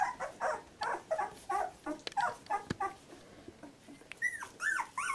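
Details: Fourteen-day-old Labrador Retriever puppies of one litter, indoors: a steady series of short nasal squeals and whimpers about twice a second, ending with higher arched whines that rise and drop, with a few soft clicks between.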